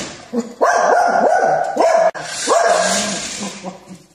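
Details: Continuous volley of rapid, ringing dog barks, each rising then dropping, in a prank compilation; a brief cut midway, then more barking under a hissy, noisy background that trails off into softer yips.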